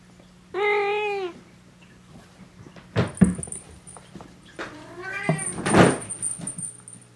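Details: Domestic cat indoors in a home keeping ten cats: one loud, drawn-out harmonic meow that dips slightly in pitch, then a second, weaker meow half-buried under clattering door or cupboard knocks.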